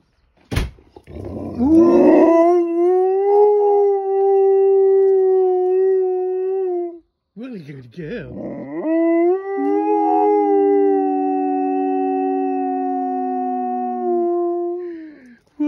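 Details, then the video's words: Pet dog, female, howling wolf-style along with a passing fire truck: two long, steady, mid-pitched howls, each holding an even tone with rich overtones and separated by a short break, while a person speaks softly. "Dog has a good old howl at a fire truck"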